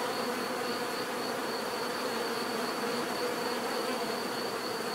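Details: Bees hum in an unbroken, even drone, thick low buzzing bands under a faint steady high tone.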